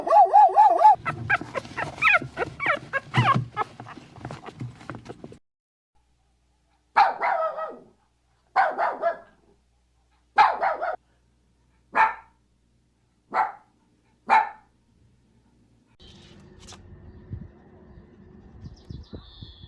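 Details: Puppies and dogs of mixed breeds and sizes: a noisy flurry of overlapping yaps, then single clipped barks repeated roughly every second and a half, followed by faint low rustling.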